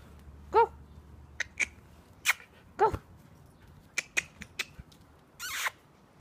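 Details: Energetic Husky jumping and playing lets out two short, high yelping cries that rise and fall in pitch, followed by scattered clicks, taps and thumps of movement and a brief rustling burst near the end.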